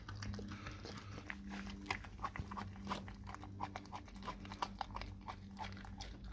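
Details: Dog eating a raw cow tongue, with irregular wet crunching and biting sounds, roughly three per second, over a steady low hum in an indoor space.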